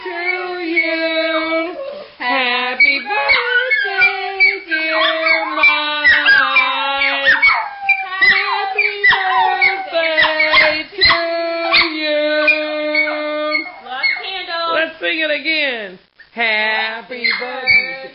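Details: Several Miniature Pinschers howl along while people sing Happy Birthday indoors, a song they join in on but no other. Wavering, high-pitched drawn-out howls rise and fall over and between the human voices throughout.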